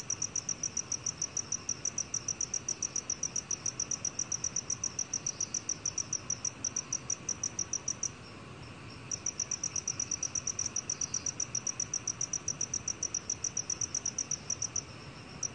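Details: From the National Institute of Biological Resources collection, 2020, a black cricket gives bright, evenly spaced chirps, close to four a second, stopping for about a second midway and then starting again.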